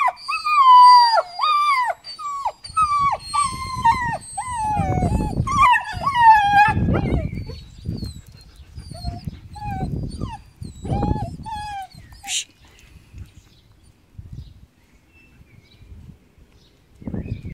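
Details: German Shepherd puppy whining in long, sliding, nasal cries, repeated rapidly over the first seven seconds, then fading into scattered softer whines amid low thumping and rustling.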